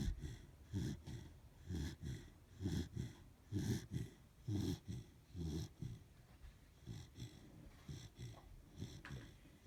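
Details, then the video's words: A sleeping Corgi snoring: rough, low, rasping breaths in regular bursts, roughly one per second, each swelling and fading, with quiet gaps between. "the Snoring Corgi"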